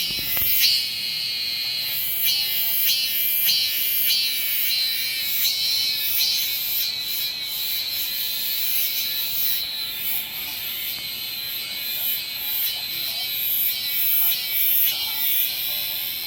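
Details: Shrill, sustained buzzing of a Korean cicada, with layered high rasps and regular throbbing pulses running through the whole stretch; a sharp click at the start.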